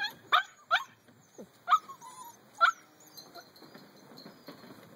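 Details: Eight-week-old puppies let out a few short, sharp yips and a brief whine, spaced about a second apart, then quiet with faint background noise.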